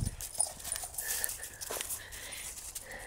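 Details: American Staffordshire Terrier playing with its owner on a walk; short, high, thin whining squeals come in several bursts among scuffling and rustling, with a woman's voice urging the dog on.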